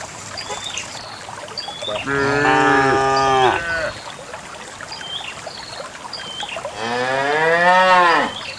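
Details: Dozens of cows being herded along a narrow path to a farm pen; cattle give two long, resonant moos, the first level and steady, the second rising then falling as it fades, with faint small-bird chirps between calls. Cow.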